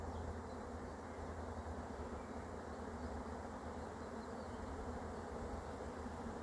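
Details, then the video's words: Arriving honey bee swarm being caught, giving a thick, even buzz of many wings layered over a low, steady hum. "catching a swarm of honey bees"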